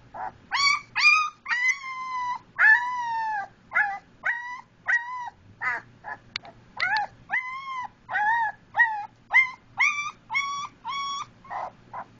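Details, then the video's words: A Siberian Husky/German Shepherd mix puppy gives short, rising-and-falling howls and yips, about two each second. "Husky puppy howling"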